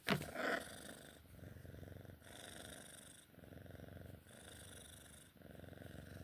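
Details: A female Sphynx cat purrs during play time in steady, rumbling bursts, each lasting about a second as she breathes in and out.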